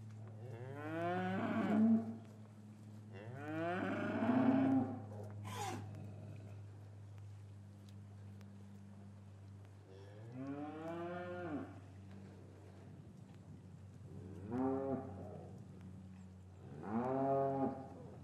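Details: Cows lowing in an English cattle yard on a winter afternoon, with calves separated from their mothers. Five deep, harmonic moos rise and fall at uneven intervals over a steady low hum, recorded with a matched pair of microphones.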